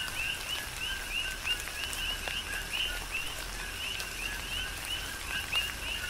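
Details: Several coqui frogs chorusing in tropical rain on Hawaii's Big Island; bright, short upslurred chirps come in a steady run, set against rain hiss and sharp drop impacts.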